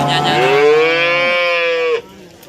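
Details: A breeding cow at an East Java cattle market in Nganjuk gives a steady, sustained moo of about two seconds, even in pitch with a slight downturn at the end, then market background noise.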